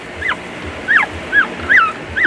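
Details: Newborn Shih Tzu puppies, three in the litter, filmed two days after birth with their four-year-old mother; thin, high squeaky cries sliding downward, repeated about every half second, over soft low thumping and a faint hum.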